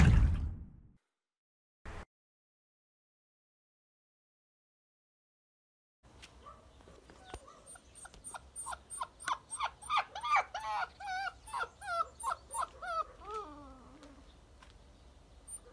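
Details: An active black puppy gives a quick run of short, wavering yelps and whines. They grow louder and denser toward the end. Silence and a few thumps come before.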